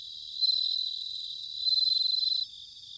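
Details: Autumn bell cricket song from Sanuki, Chiba, Japan: two loud, shimmering pulsed trills, each lasting close to a second, rising above a dense background chorus of crickets.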